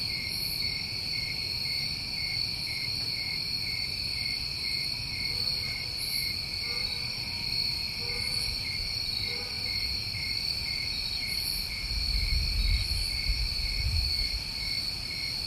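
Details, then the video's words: New England summertime crickets at night: a constant shrill trilling chorus in two steady high bands, with a few faint short tonal notes midway and a low rumble near the end. "Over 1 Hour Of Tinnitus Masking With Crickets"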